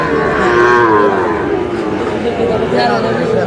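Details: A short burst of lowing from Sahiwal cattle at a busy Bangladeshi market in Cumilla on 9 June. A sustained harmonic moo sounds over a continuous hum of voices and shouting traders.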